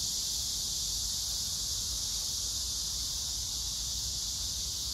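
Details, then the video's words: Brief stretch of cicada song on 9 August 2024 at Hwarang Park, Choji-dong, Danwon-gu, Gyeonggi Province, amid blooming pink crape myrtle; a loud, steady high-pitched hiss without breaks, with grass insects and faint low background noise. "매미 울음소리 풀벌레소리"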